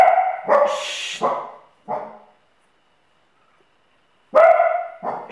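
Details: Sealyham Terrier mother protecting her puppy barks sharply three or four times, one with a harsh hissing edge. A two-second silence follows, then two more abrupt barks.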